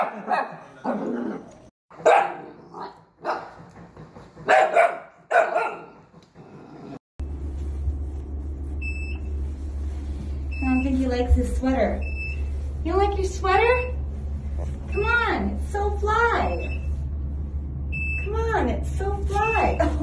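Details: Miniature dachshund playing: a run of sharp barks for the first seven seconds, then a string of high, bouncy yips and squeaky cries over a steady low hum.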